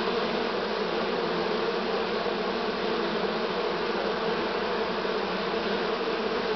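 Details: On 6 September 2019 a honey bee swarm from this season drones without break, a rich low hum with a buzzy upper layer, loudness almost flat throughout.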